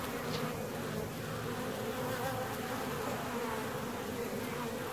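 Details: Honey bee colony in a hive 17 days after splitting: a dense, steady buzzing drone with a low hum and a brighter band above it, unbroken for the whole stretch.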